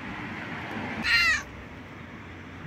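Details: A cat sitting on a couch outside a home gives one short, loud, harmonic meow lasting about a third of a second, set against steady outdoor background noise.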